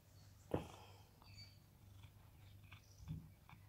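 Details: Purring of Sam, a rescued cat living in Cooktown, Queensland, Australia, as he is groomed: a continuous low rumble with a couple of brief louder rustles and faint outdoor bird chirps.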